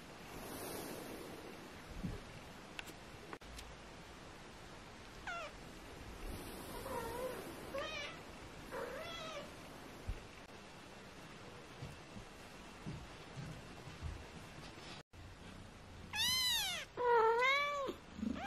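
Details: Four tiny British Shorthair kittens aged 18 days mew repeatedly: thin arched cries rising and falling, a few scattered early, then a loud burst of several overlapping plaintive mews near the end, with soft rustling between.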